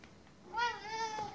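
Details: Soft pleading mew from a Siberian cat wanting its 'chocolate' stick: one smooth, level, tonal meow of almost a second, quiet room, a woman urging it to get up and take it.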